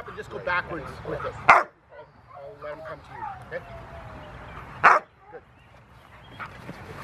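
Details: Young Rottweiler, six months old, at play with two handlers at a Rottweiler club in June 2020, gives two loud, abrupt barks about three seconds apart while people talk throughout.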